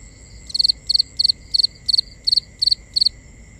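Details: Crickets at night, a pulsed chirp repeated about three times a second: eight short trilled bursts, each of three quick pulses, over a steady high whine and faint low background hum.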